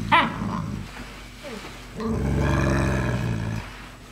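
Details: Seven-week-old puppies from the third litter, indoors. A sharp high yelp opens, a short pause follows, then a sustained harmonic growling whine lasts about a second and a half before fading, with faint room noise behind.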